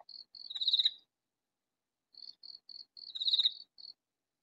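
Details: Loud katydid call in a vegetable garden, the insect unseen. Soft high ticks quicken into a harsh, buzzy rasp, then silence for about a second, then the same ticking-then-rasping phrase repeats.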